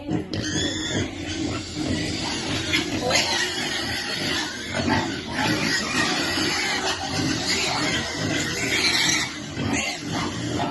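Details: Piglets waiting for their food, a shrill harmonic squeal opening the recording, then mixed grunts and squeaks crowding over steady noise, with faint voices in the background.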